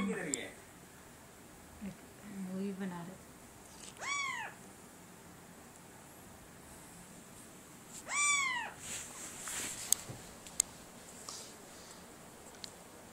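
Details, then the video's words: Domestic cat meowing indoors: two short rising-falling meows, spaced about four seconds apart, with brief human voice, faint background hum and a few clicks. "Cat parrot voice issuing"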